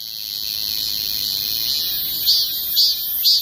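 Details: Korean cicada singing: a continuous high, dense buzzing drone with three louder pulsing swells near the end, about half a second apart.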